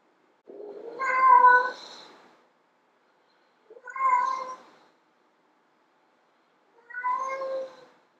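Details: Female domestic cat meowing loudly to attract males: three long drawn-out meows, the first strongest and rising then falling, each about one to two seconds, spaced roughly three seconds apart in a quiet room.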